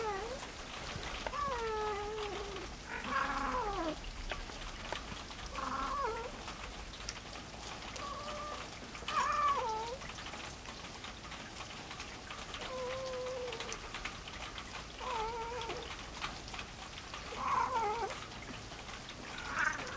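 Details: Louie, a male farm cat, meets a newly arrived small black female for the first time. Repeated drawn-out, wavering yowls and meows follow each other every couple of seconds over a rain-like crackling background.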